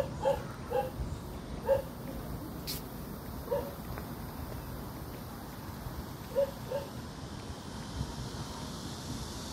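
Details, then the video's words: Dog barking: short, sharp barks, single or in pairs, spaced irregularly over about seven seconds, against a steady broad background hiss. "개짖는 소리"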